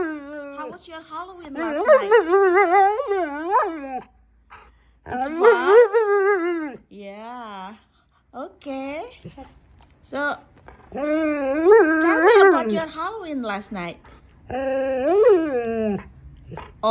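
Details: Indoor husky 'talking' back during a conversation with a person: a series of moaning, yodel-like wavering howls in bursts of one to three seconds, alternating with human speech and brief silences.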